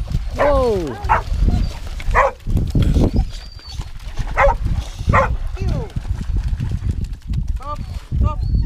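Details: Several English Springer Spaniels at a spaniel gathering in 2019, giving loud barks and yelps with falling harmonic sweeps, spaced irregularly over several seconds amid people talking and outdoor bustle.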